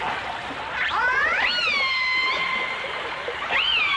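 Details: A single long dolphin or orca call from a 1989 stereo recording. It climbs steadily through rich harmonics, then flattens into a sustained tone, and a second short upswept call follows near the end, over soft crackling water noise.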